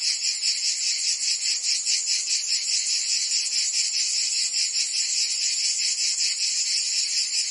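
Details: In Provence, France, summer cicadas sing together as a loud, high, grating drone, beating rhythmically about twice and a half per second without pause.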